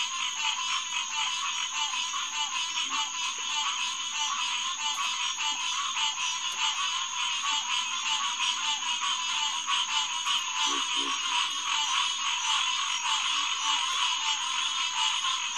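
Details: Green tree frogs (Hyla cinerea) in a dense night chorus at the SMNWR Headquarters Pond, June 2, 2021, around 9:10 pm. Many nasal, honking calls overlap into a continuous wall of sound, over a steady high insect whine and faint low grunts.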